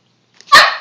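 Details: Puppy "talking" with a single sharp, high yip that starts abruptly and fades quickly, with no other sounds around it.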